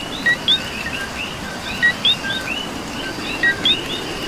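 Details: Puerto Rico coquí chorus during rain, with sharp two-part 'co-qui' calls: a brief lower note snapping up to a bright rising whistle, three clear repeats among many softer callers and a constant hiss of rain.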